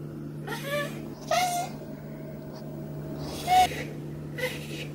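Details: Maine Coon cat named Hélios, from a cattery in the South of France, meowing while getting a massage; two short tonal meows with soft breathy noises between them over a steady low hum.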